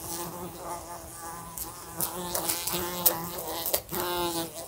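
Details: A fly buzzing indoors in a room next to a lamp, bumping into it: a droning hum with stacked wavering tones, swelling and fading as it flies, with sharp clicky taps from collisions.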